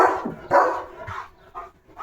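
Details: German Shepherd Leo, guarding his village home, gives a final pair of short, gruff barks after other dogs pass, followed by fainter trailing yaps.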